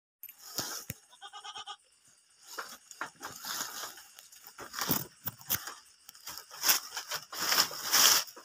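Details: Kacang goat buck offered for sale in Indonesia as suitable for aqiqah or breeding: a short harmonic bleat with a stepped, wavering pattern early on, then scattered rustling, clattering and handling noises.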